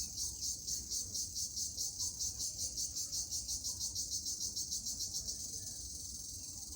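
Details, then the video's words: Cricket (jhijhi poka) giving a high, buzzy pulsed trill, about two pulses every second and very steady, above a faint low rumble. "Jhijhi Poka Sound"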